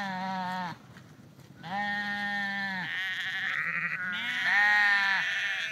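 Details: Sheep moving along the Porrenkoogdeich dike near Husum in Nordfriesland give three nasal bleats: a short one, a longer steady one, then a quavering bleat that rises slightly, with a faint second voice overlapping.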